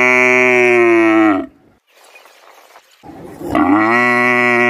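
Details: Cow mooing at a village in Bangladesh, Asia, as part of its daily routine: a loud sustained moo that falls away, a quiet gap with faint rustling, then a second strong moo rising back up.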